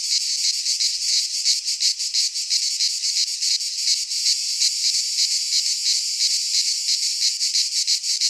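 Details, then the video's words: Many cicadas in a Greek pine forest during midsummer, their song a loud, high, rasping buzz broken into quick regular throbs, constant throughout. "Cicadas singing in midsummer - Nature sounds from the Greek fauna - Sounds of cicadas"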